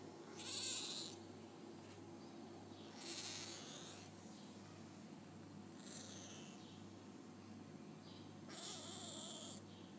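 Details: Four shrill, squeaky cries roughly every two to three seconds from 5-day-old F1 hybrid Bengal kittens, offspring of a leopard cat father and a Bengal mother, set against a steady electrical-sounding hum.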